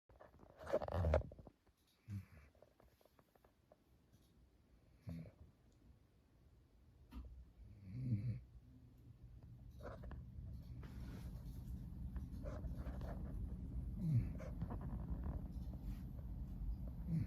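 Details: Young female German Shepherd asleep, snoring softly: low, rumbling breaths with a few louder snorting bursts near the start and middle, then a steadier low drone through the second half, indoors and quiet.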